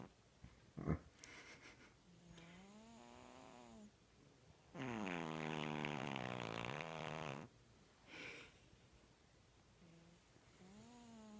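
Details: Snoring from Gertie, a one-year-old dog weighing five pounds, worn out from opening presents; soft whistling nasal breaths rise and fall between one long, loud, rasping snore, with a brief snort near the start.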